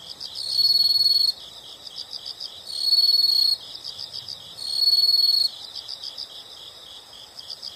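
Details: Shrill insect trills come in three evenly spaced bursts of roughly a second, separated by quieter quick rhythmic chirping pulses, all high-pitched and steady against a faint hushed background.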